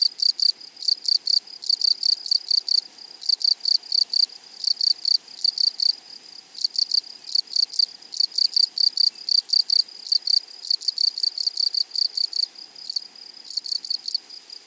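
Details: High, dry buzzing from wild grasshoppers in a flowering prairie meadow, made of short pulsed bursts repeated steadily, about two to three per second, with brief gaps, sustained throughout and no other clear sounds.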